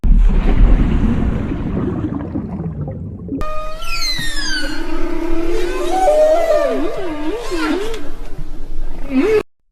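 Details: A whale, possibly a blue whale, gives drawn-out, wavering moans and sweeping tonal cries after a low rumbling opening.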